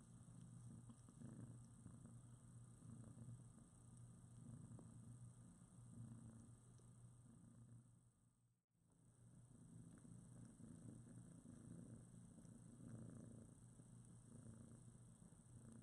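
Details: Mother cat Priscilla and her newborn foster kittens, about two weeks old with eyes just opened, cuddling together; steady low rumbling purr with fast pulsing, a brief dropout midway, faint rustling and small squeaks.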